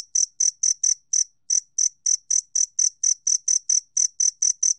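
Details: Bright, ringing chirps from a two-spotted cricket, repeated about four times a second. A short gap comes after the first few pulses, then the even chirping resumes. No other sounds are present.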